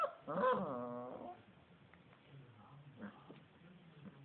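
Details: Basset Hound puppies from a litter: a drawn-out whining cry with stacked harmonics, falling in pitch over about a second, followed by fainter scattered squeaks and low household noise.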